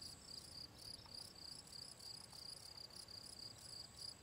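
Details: Gryllus campestris, the field cricket, at ponds in the Draga valley, 18 June 2023, giving a rapid train of short, shrill chirps, about three each second, over faint low background noise.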